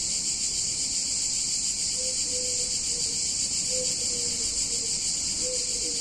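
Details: Cicadas buzz loudly and without pause on a hot summer day in an Italian town. Under them, a thin, lower tonal squeal repeats about three times, each note sliding slightly downward.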